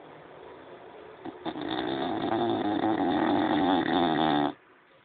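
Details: One long, loud snore from a French Bulldog, a rattling, throaty rasp held for about three seconds before stopping abruptly into near silence.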